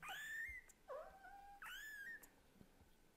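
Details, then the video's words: Young kitten, offspring of a Scottish Fold and a British Shorthair, calling to the mother cat with three high, clear meows, each sliding up then trailing off in a long flat tail, closely spaced. "The kitten who talks hard to the mother cat is too cute..."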